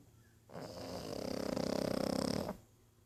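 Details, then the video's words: Pug named Archie snoring: one long, buzzy, rattling breath of about two seconds, fluttering rapidly and evenly, then quiet breathing in a small room. "Мопс Арчи даёт храпака"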